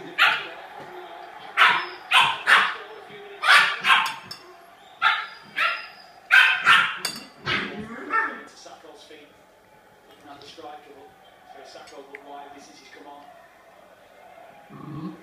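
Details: Sealyham terrier named Pinot giving a rapid series of about a dozen sharp, loud barks over the first eight seconds, irregularly spaced, then falling quiet with softer sounds and human voices in the background.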